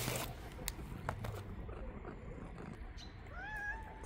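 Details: Mother street cat leading the way to her hidden kittens gives one short meow that rises and then bends, heard near the end after soft rustling and scraping.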